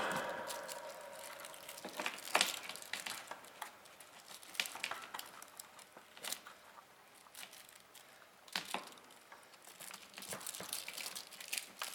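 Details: Crinkling, cracking and tapping noises scattered through a small indoor room, with no animal voice.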